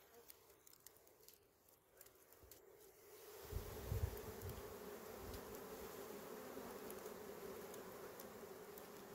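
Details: Small bees buzzing during a honey harvest: a steady, low droning hum runs throughout, joined after a few seconds by louder rushing, rustling noise from handling the comb.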